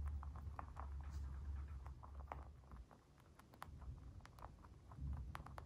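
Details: Crunchy mouth sounds from a white dwarf mini lop bunny eating: fast clicking bites in clusters, a brief quieter pause midway, then dense crunching again, all over a low droning hum.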